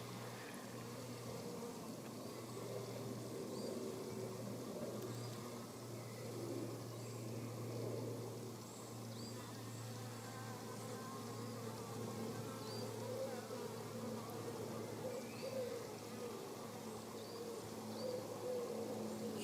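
Common frogs give a soft, low purring chorus that drones on almost like buzzing insects.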